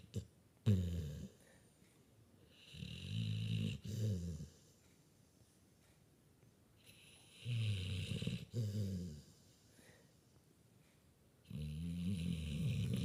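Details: Loud snoring from a sleeping puppy in a small room, low guttural rumbles in paired bursts spaced a few seconds apart, each snore carrying a breathy hiss on top, with silence in between.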